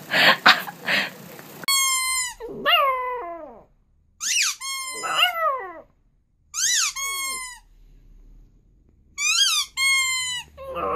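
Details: Puppies learning to howl, giving high wavering howls in several bouts with rising then falling pitch and stacked harmonics, separated by short silences, with a brief noisy squeal at the start.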